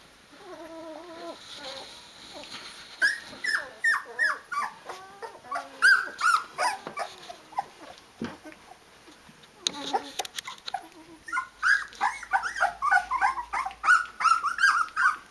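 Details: Rhodesian Ridgeback puppies, 16 days old with eyes open, calling their mother to feed them: high whining, yipping whimpers rising and falling in quick overlapping bursts, many voices at once, with a brief human voice mid-way.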